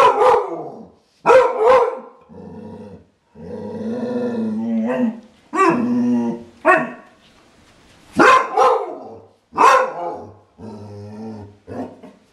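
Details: Clumber Spaniel barking in sharp, loud bursts, broken by longer throaty, harmonic growl-like stretches, the barks clustered near the start and end.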